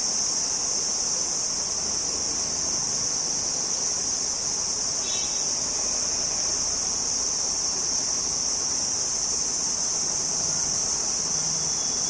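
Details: Cricket singing in the open: an unbroken, even, very high shrill buzz sustained throughout, with a brief faint chirp from another source midway and a man talking in Hindi nearby.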